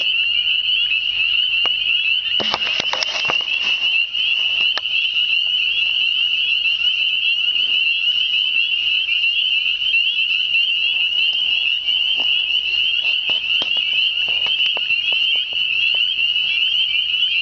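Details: Spring peepers singing in spring from all directions, plus other unidentified frogs: a dense, shrill chorus of high peeps without pause, a short burst of handling noise early on.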